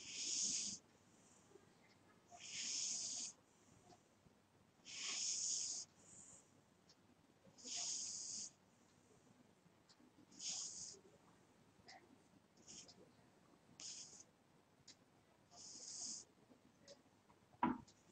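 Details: A sleeping cat snores steadily, giving hissing, wheezy breaths roughly every two and a half seconds, which fade a little toward the end. A sharp tap near the close.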